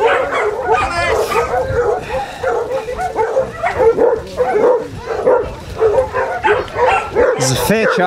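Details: Twenty-four Basset Hounds walking together on Burnham and Berrow beach in Somerset, England, February 2014, give a loud continuous chorus of wavering howls, bays and yips, rising and falling in overlapping bursts, mixed with human voices.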